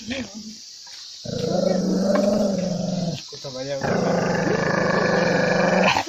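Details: Angry dog giving long, low, rasping growls, a short pause and then another sustained growl lasting about two seconds, with faint whining between.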